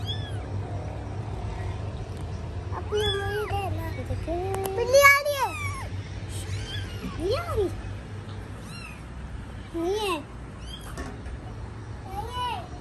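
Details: Mother cat with her kittens, caring for her babies: a run of short arched mews, some high and thin, others lower, scattered across the clip, mixed with Hindi speech from people nearby and a steady low hum.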